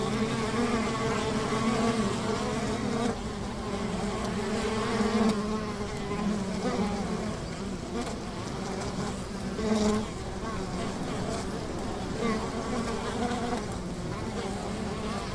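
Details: Buzzing of a honey bee hive beside a river, a continuous droning hum of many wings with wobbling stacked tones, small dips and swells in loudness, and faint scattered clicks.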